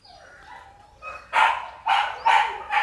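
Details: Red-nose pit bull mother with puppies: after a faint whine, four loud harsh barks come roughly half a second apart.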